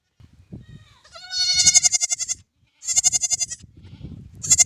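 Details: Newborn baby lamb giving three wavering, tremulous bleats in close succession, each a strong pulsed cry, with soft low shuffling sounds between them.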